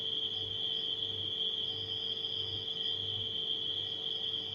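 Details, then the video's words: Nighttime crickets give a steady, unbroken high-pitched trill throughout, layered over the constant low hum and drone of a refrigerator with faint low pulsing underneath. "Crickets & Refrigerator Humming Sound"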